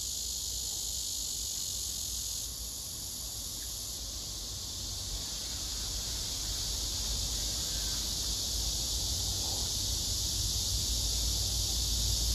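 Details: Male cicada singing hard on a tree across the way, filmed by phone. A sustained, hissing high buzz runs throughout over a rumbling low background.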